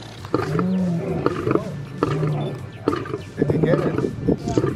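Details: Lions coming in at feeding time at Antelope Park, Zimbabwe, where they are raised for release into the wild; low, drawn-out growling notes under excited human voices, with faint music in the background.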